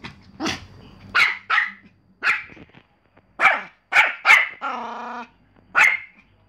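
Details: Pomeranian dog giving rapid, high-pitched yapping barks in uneven bursts, with one drawn-out whining bark near the middle and faint background noise between barks.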